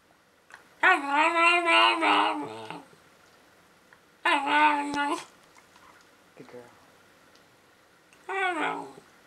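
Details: A Cairn Terrier "talks" during playtime in drawn-out, wavering, moaning yowls broken by short pauses.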